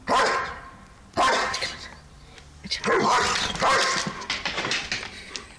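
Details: Lucky, a two-year-old German Shepherd and Belgian Shepherd mix, barks in excited bursts while going crazy, four harsh barks over several seconds mixed with a man's voice and room noise.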